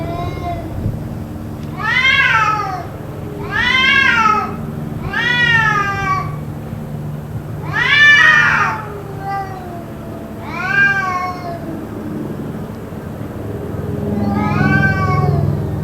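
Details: Persistent cat yowling, maybe a fight, lasting about two hours: six or seven arched, harmonic wails repeating every one to two seconds, the last one softer, over a steady low hum.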